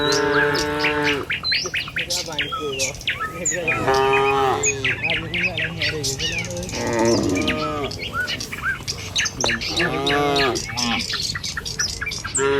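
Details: A herd of dozens of tame cattle crossing a village road on the way to the pen in the morning. Repeated drawn-out, rich moos overlap from several animals amid frequent sharp bird chirps.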